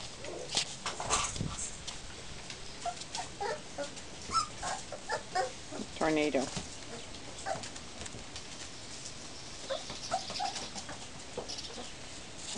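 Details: Puppies in a play yard for the first time: scattered short squeaky whimpers and yips, some clustered in the middle, mixed with people talking and movement noises throughout.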